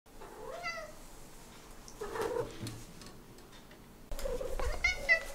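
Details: Talkative domestic cat giving short meows, an early one rising then falling in pitch and a louder, brighter one after a pause, with quiet room sounds in between.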